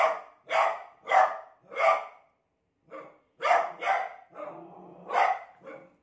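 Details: Fearful beagle reacting to a new cot with rapid, rough barks, one stretched into a drawn-out growling bark, then more short barks.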